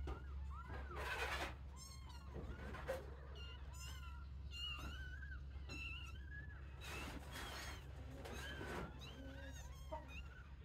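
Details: Several young kittens in a playpen, some leaving the sibling pile to explore: many short arched mews, rising and falling, overlapping in quick succession, with soft rustling and thumps underneath and a steady low hum throughout.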